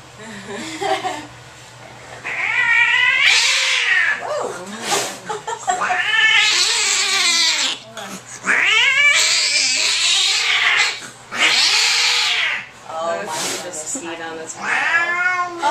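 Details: Angry domestic cat freaking out during a vet visit in an examination room: loud, drawn-out wailing yowls rising and falling in long arched howls, several in a row with short gaps, music and people's voices faint behind.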